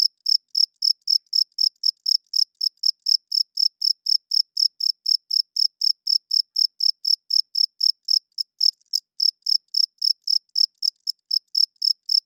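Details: Cricket heard at night, chirping loudly: a relentless train of piercing, short pulses around four each second, evenly spaced, nothing else audible.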